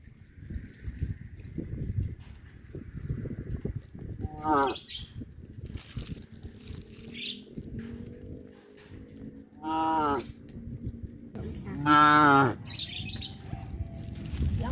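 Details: Afternoon cattle moving down a village road toward the livestock pen; three bellowing moos spaced several seconds apart, each rising and breaking off, with a low background rumble and some faint high chirps.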